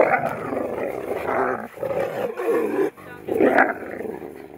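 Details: Wolf at Wolf Park, recorded around May 23, 2010: loud, rough growling and snarling in low-to-mid tones, broken by short pauses near two and three seconds, then a final harsh burst with a brief higher squeal.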